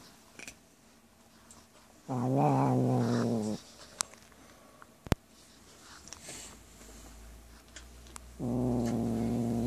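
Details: Male house cat growling while eating cat food, guarding his bowl when petted; two drawn-out, low, buzzy growls, each lasting over a second, separated by quiet chewing and small clicks.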